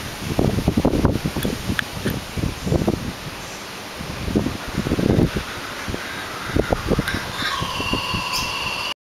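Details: A koala eats, with soft irregular chewing crunches and leaf rustles in quick bursts; a kookaburra starts to call right at the end.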